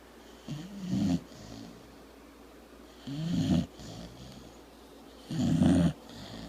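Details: Pet dog asleep and snoring loudly in a small room before being booped on the nose; three heavy, rattling low snores spaced a couple of seconds apart.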